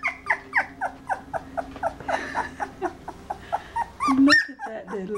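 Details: Two-week-old Red Standard Poodle puppies whimpering: a rapid run of sharp, falling squeals repeated roughly three times a second, ending in a louder, rougher cry mixed with nearby human voices.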